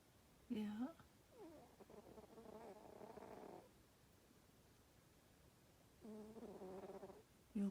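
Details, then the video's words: Darma the sleeping female cat gives two drawn-out raspy snoring breaths between short bursts of a woman's affectionate talking at the start and end. "Darma the snoring cat"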